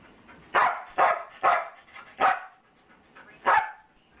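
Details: Luca, a talkative foster dog at home during the holiday season, gives five sharp barks: four in quick succession about half a second apart, then a pause and one more.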